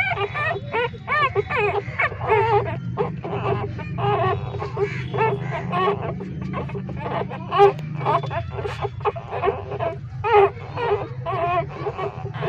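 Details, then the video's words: Newborn puppies, three days old, living in a pipe with their street mother, call loudly while breastfeeding: wavering, nasal whimpers and squeals repeated in uneven clusters, with a continuous low hum beneath. "3 Days Old Newborn Puppies Nursing and making Sound so Loudly in Pipe, Hungry Puppies Breastfeeding"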